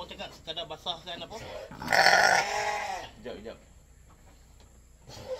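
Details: During milking for a newborn, a goat lets out a loud, tremulous bleat of about a second amid Malay conversation, with quieter talk before and after.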